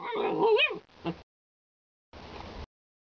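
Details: Alaskan Malamute giving a short, loud wavering whine that rises and falls in pitch, then a brief harsh yelp; after a pause, a softer, noisy sound follows.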